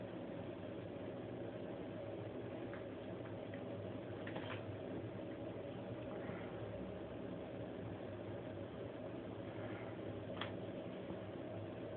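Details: A low indoor hum and steady hiss continue throughout, broken only by a few faint clicks and taps.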